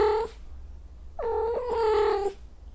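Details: Female cat in heat giving a short clipped cry, then a longer, flat, nasal yowl held for about a second over a low background rumble.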